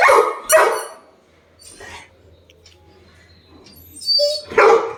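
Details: Labrador Retriever Sam, upset over his withheld toy, gives two quick barks, then a long near-quiet gap with a faint bark and low hum, ending in two more sharp barks with a squeaky whine.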